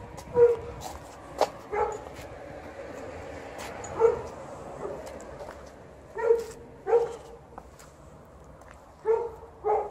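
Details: Golden Retriever complaining while outside as the snow is almost gone; short, clipped whining barks with a steady tonal core, spaced irregularly every one to two seconds, with quiet outdoor background.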